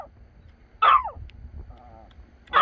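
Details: An excited dog on a visit to a family grave gives two sharp, loud barks about two seconds apart, separated by quiet outdoor background and faint voices.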